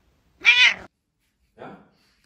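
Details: A blue-eyed Siamese cat gives one loud, bright, slightly wavering meow lasting under half a second. A second later comes a softer, brief sound. People speak just before and after.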